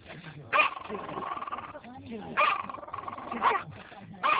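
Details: Yorkshire terrier, tail wagging, barking at what turns out to be a gas station pump, recorded on a mobile phone: four sharp barks spaced about a second or two apart over a steady hum, with a man talking between them.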